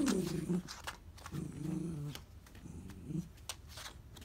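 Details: Miniature dachshund indoors, tussling with a capsule toy that slipped into a gap; three low, harmonic growl-whines, each about half a second to a second long, separated by short pauses, with faint clicks and rustling between them.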